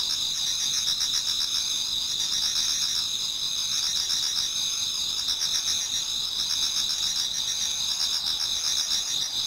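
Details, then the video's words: Japanese garden before dawn in autumn, alive with many singing insects: constant piercing trills at several pitches over a pulsing chirp pattern, steady in loudness with no other sounds. "Autumn Insects voice Towards dawn"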